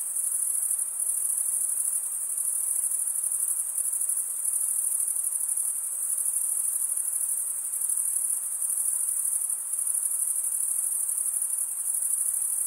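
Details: Male crickets rubbing wings together produce a constant shrill trill, evenly sustained with gentle pulsing and a faint hissy background.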